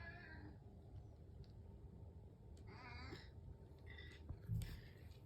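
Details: A house cat waiting for its breakfast in the morning gives a few soft, drawn-out meows, the clearest in the middle, over a steady low indoor hum.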